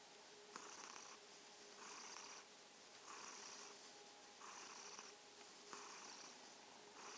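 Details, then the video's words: Kitten purring as an evening greeting, a steady rasping purr rising and falling with each breath, roughly 48 cycles a minute, each burst lasting about half a second, over a faint constant hum. "Abendgruß vom schnurrenden Kätzchen - Evening greeting from the purring kitten"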